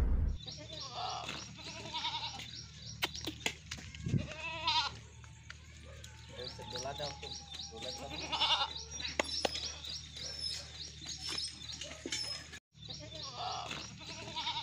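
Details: Two male goats of the Totapari and Sirohi breeds. A short, shaky bleat comes near the middle, amid people talking, handling noises and constant high-pitched chirping in the background.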